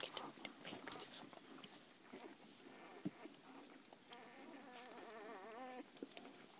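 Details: Newborn Labrador Retriever pups, a day old, nursing beside their mother in a kennel among a litter of eleven; scattered clicks and rustles give way to a sustained wavering whine lasting about two seconds near the end.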